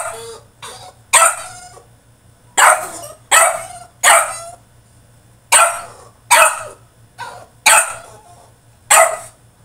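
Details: Tantrum of a French Bulldog shut in his cage: loud barks repeated roughly every second or so in an uneven series, each harsh and falling away quickly, over a constant low hum.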